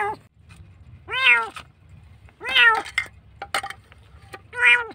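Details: Frightened kitten found nearly dead in a dark place gives three sharp, falling meows spaced about one and a half seconds apart, with a few soft clicks and taps between cries over a low background hum.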